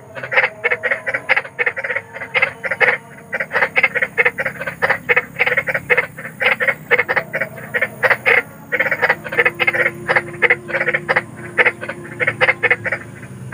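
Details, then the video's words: A large frog in the wild at night, croaking in dense rapid volleys of harsh pulses, several per second with short pauses, possibly more than one caller, over a faint hum. "SUARA KODOK || KODOK BESAR || SUARA KODOK SERAM"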